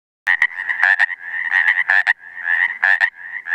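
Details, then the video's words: Pacific tree frog calling: quick, raspy, nasal croaks repeated in irregular bursts, overlapping into a dense chorus with a steady buzzing trill between the louder notes; no other sounds stand out. "Pseudacris regilla"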